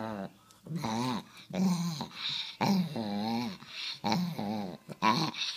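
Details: Rescue Chihuahua making word-like, talking vocalizations indoors: drawn-out wavering grumbles and whines with a low growly base, in about six phrases of roughly half a second to a second, separated by brief pauses.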